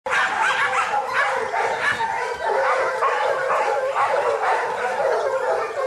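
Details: Kishu dogs in Japan during boar-hunting training with young Kishu, in 2010. Dogs named Joe, Takeshi, Rin and Momo work alongside local dogs. Their dense barks and baying yelps overlap without pause in a constant clamour.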